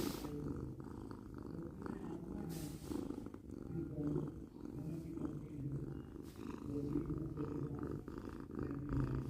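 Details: Cat purring continuously, a low buzzing rumble rising and falling in rhythmic breath cycles, with a few brief soft tonal hums mixed in, recorded close in a quiet setting.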